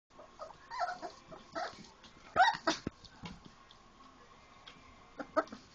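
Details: Four-week-old Labrador Retriever puppies playing after eating, having made a big mess: scattered short whimpers and yelps at moderate pitch amid soft scuffling and clicking noises.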